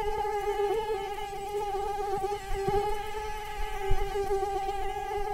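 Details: Mosquito whine, a steady high hum with a strong low tone and a ladder of even overtones, holding level throughout with slight wavering and a few faint clicks underneath.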